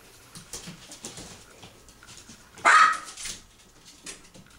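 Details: Female Yorkshire Terrier puppy, 16 weeks old and 1.3 pounds, playing with her toys and with three adult dogs under a door crack; soft scuffling and thin yips, then one loud sharp yelp midway.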